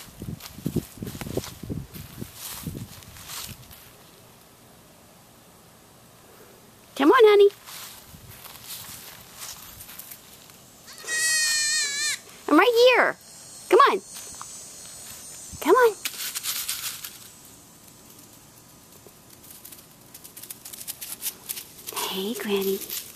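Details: Gwendolyn the goat out on a walk gives several drawn-out, quavering bleats spaced a few seconds apart, with a woman's voice softly calling and encouraging her and footsteps on the ground in between.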